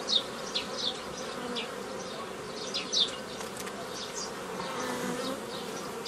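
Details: Honey bees buzz loudly throughout a hobbyist's old-method nucleus formation from a forager swarm, 15 May 2018; the steady drone is dotted with short, high, irregular chirps and faint clicks roughly every second or two.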